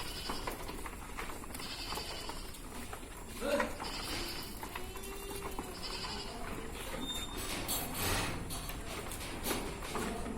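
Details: Black Bengal goats, males, females and kids, at a farm in Odisha, India, bleat in short harmonic bursts near the start and again around the middle, over a steady hum of background noise.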